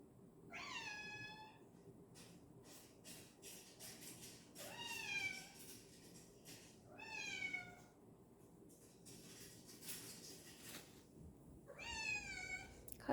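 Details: A house cat indoors meows insistently at its owner for following too slowly, giving four drawn-out, rising-then-falling meows about three to four seconds apart, with a person answering softly.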